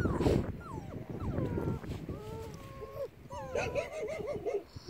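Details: Male Bernese Mountain Dog puppies, six weeks old, whine in a run of thin, wavering whimpers, some sliding down in pitch, others held steady, with short yips near the end over soft rustling.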